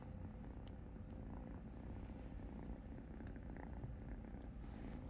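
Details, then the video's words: Purring kitten Cupcake gets a wash from blind cat Helene, a continuous deep pulsing rumble holding for over five seconds, overlaid by soft licking and rustling ticks, with a woman softly praising the grooming cat. "Blind Kitty Helene grooms purring kitten Cupcake"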